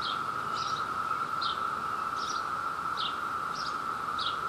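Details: Brood II cicadas in New Jersey at peak mating season, a male vocal while courting a female. An unbroken buzzing chorus at constant pitch runs underneath about seven brief, sharp, high bursts, spaced roughly every half second to second.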